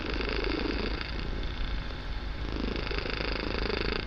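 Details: A kitten purring very loudly during a relaxing session, the purr filling the room: a steady, continuous low rumbling drone with gentle swells in loudness throughout, no other clear sounds.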